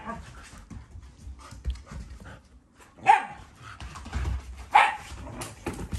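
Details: Shiba Inu growling because it wants something belonging to a Labrador, a sign of affection rather than anger; two short, rough, harmonic vocal bursts stand out over low indoor rumble and soft background noise.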